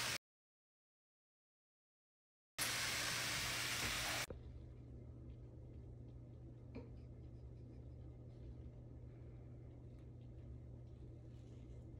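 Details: A brief dropout of silence gives way to a loud hiss, then steady low hum and faint room noise with no animal voice.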